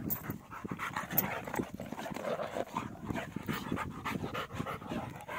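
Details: Pet dogs in a fight, with heavy rapid panting and breathy huffs mixed with short snarls and scuffling, continuous through the clip at fairly even loudness.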